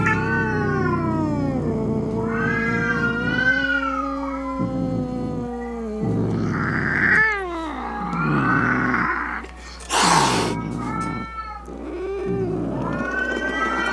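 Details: Domestic cat giving angry, drawn-out caterwauls meant to scare off rats, opossums and other cats; long wavering harmonic yowls rise and fall, broken by a short noisy hiss-like burst near the end, over a steady low hum.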